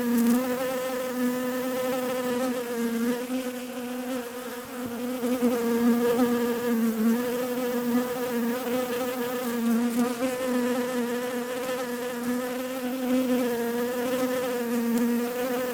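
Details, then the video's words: Continuous buzzing of bees, a dense, even hum with rich overtones that gently rises and dips in pitch over the whole stretch, loudness staying fairly constant with small pulses. "Relaxing Bees Buzzing Sounds"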